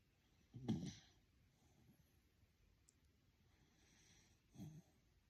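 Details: Miniature Schnauzer napping indoors, letting out two short, rough snorting snores about four seconds apart, with quiet breathing noise between them.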